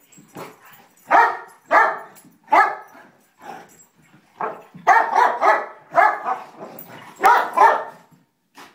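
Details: Elder basset mix defending against a young golden retriever in a play fight; repeated sharp barks in bursts about every half second to second, roughly a dozen, with a person urging the dog on between barks.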